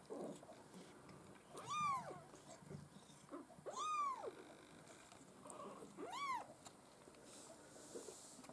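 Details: Litter of Maine Coon kittens at a breeder's cattery, three clear high-pitched mews spaced about two seconds apart, each rising then falling, over a quiet hissy background.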